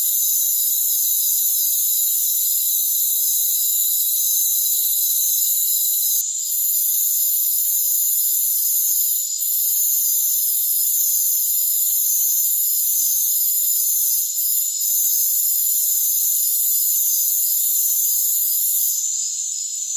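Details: A rainforest cricket chorus: continuous piercing, high trills in overlapping layers hold steady throughout, with a few short breaks in the top band and a slight thinning near the end. No other sounds.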